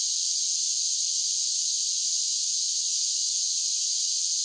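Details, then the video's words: Summer cicada chorus, a steady shrill electric buzz held without a break at constant loudness, high-pitched and hissing, nothing else audible. "Cicada Sounds"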